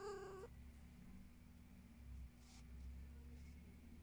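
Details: Domestic cat indoors giving a single short, tonal meow with a steady pitch that lasts about half a second, followed by a low steady room hum and no further calls.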